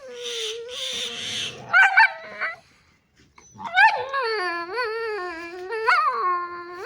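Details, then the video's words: A dog in apparent distress gives drawn-out, wavering howls with rich harmonics, rising and falling in pitch, broken by a short pause and sharper yelping whimpers before a long quavering wail. "Oh no, what happened to this dog, why is it making such noises?"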